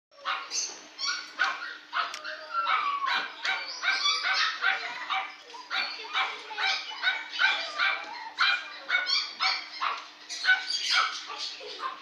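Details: Female West Highland White Terrier giving a long series of high yelping barks and whines, roughly two to three per second, sharp and excited, with a faint steady hum beneath.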